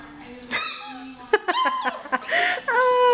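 A Maltese puppy gives short, high, wavering howls that rise and fall, echoing her squeaky toy.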